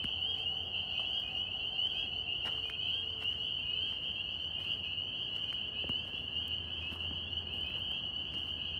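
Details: Steady massed calling of northern spring peepers in New York, a bright high trilling wall of overlapping peeps that never pauses, with a low rumble of background noise underneath.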